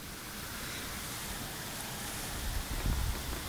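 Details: Steady wind rumble on the microphone with a faint passing vehicle, and no animal sound.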